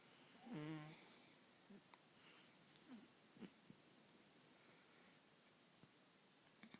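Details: A female pet cat asleep indoors, snoring as she does daily: one loud, buzzy, rough-toned snore lasting about half a second near the start, followed by near quiet with faint soft clicks and small rustling sounds in a small room.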